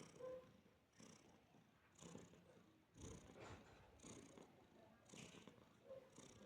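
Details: Domestic cat purring while relaxing with a person in Georgia; soft low rumbling purr runs steadily through the clip with faint rustling and brief high hisses of movement, no speech.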